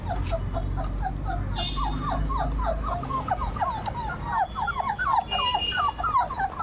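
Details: Thirty-eight-day-old Labrador retriever puppies produce a quick run of squeaky, hooked whimpers, several per second, over a low rumble, with a few louder yelps near the close.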